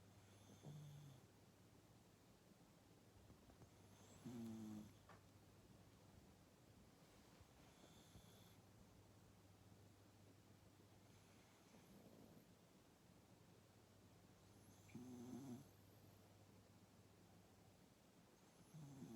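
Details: Sleeping rescued cat Maru lying in an untidy pose and snoring: soft, throaty snore bursts with a slight nasal buzz come at irregular gaps of several seconds, against a constant low indoor hum.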